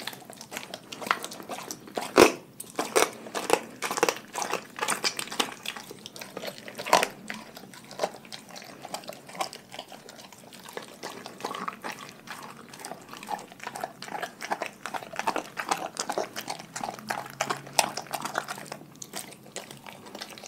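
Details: Pack of pet dogs eating a raw food diet indoors, a dense run of sharp crunches and wet chewing clicks, bursts every fraction of a second, louder snaps near the start and around seven seconds.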